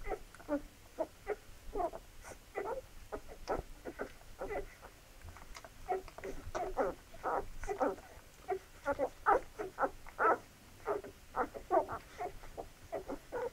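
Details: Feeding time for a litter of Labrador Retriever puppies: a steady patter of short nasal squeaks and whines, growing denser and louder toward the second half.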